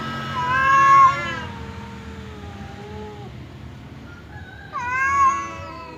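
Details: Two domestic cats, a fierce one named Temon and a quiet one named Lelo, face off across a divider as if about to fight; a long wavering harmonic yowl, a falling tail, then another rising wail after a pause.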